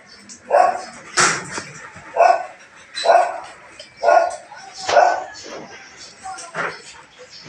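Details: Belgian Malinois barking in the morning while cleaning goes on, a steady run of six sharp barks about one per second, with a clattering knock among them.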